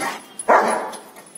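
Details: A Rottweiler dog in training barks on the spoken command "speak": one short, harsh bark, with quiet surroundings before and after.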